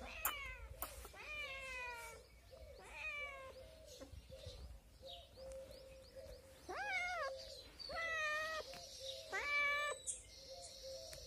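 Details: Kittens, adopted street cats, meowing repeatedly: several rising-then-falling harmonic mews about once a second, some longer and wavering, with faint rustling and a brief high tone near the end.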